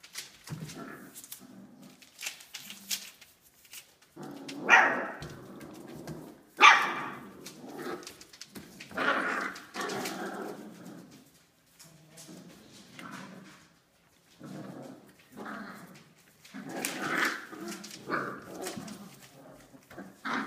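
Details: Five-week-old Australian Labradoodle puppies from Olive's litter indoors, giving short high yips, whines and small barks in irregular bursts, some rising and overlapping, with quiet gaps between them.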